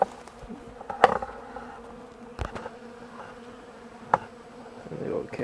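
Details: Bees flying outdoors on a warm 65-degree December 2, 2012, cleaning up honey and wax cappings set out for them. A steady low hum holds two even tones, broken by sharp knocks and clatter.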